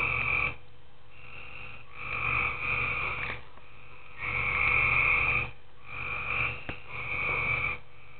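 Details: Tree frogs croaking at night in a pool, with uneven, overlapping raspy bursts of varying length and loudness, plus a couple of sharp clicks between calls.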